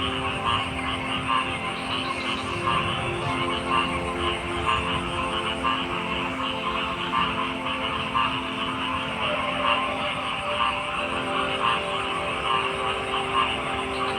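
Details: Massed frog voices form an unbroken wall of sound, with faint pulsed croaks scattered through it above a constant low hum and high background hiss.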